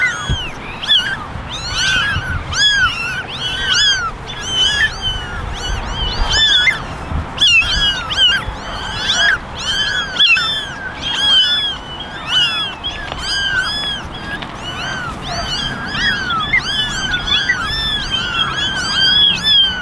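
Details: Eleven kittens, ten ginger and one white, sitting together in a basket and meowing for attention: a dense, overlapping chorus of high, thin, arched mews, many calls per second, continuing without pause throughout.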